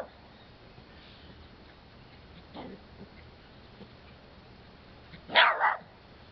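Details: Pet dog, one of two, barking at a red-eared slider turtle for attention; a soft muffled bark midway, then one loud, harsh double-peaked bark near the end against a quiet background.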